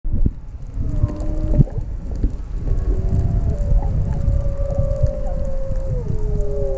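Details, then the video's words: Humpback whale song recorded underwater off Maui near a sea turtle: long, drawn-out tonal moans that hold steady, then slide downward, over rumbling underwater noise. "Maui Sea Turtle w Whale Songs in Background"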